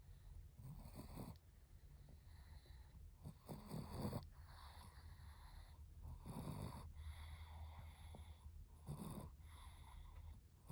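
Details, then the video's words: Chihuahua snoring while sunbathing: rough, breathy snores in soft bursts roughly every two to three seconds, with low rumbling between breaths and a faint steady high hum throughout. "태닝하면서 코골이하는 치와와"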